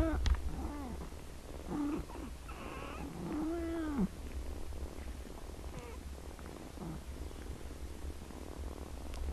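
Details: Kittens meowing: several short arched and wavering mews in the first four seconds, one longer drawn-out cry, then quieter scattered calls over a steady low hum and background noise.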